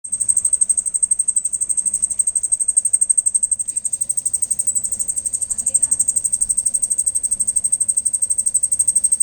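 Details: Crickets calling at night, found after making noise in the dark: a steady, very high, rapidly pulsed chirping that goes on without a break, about four pulses a second, with faint low rumble underneath.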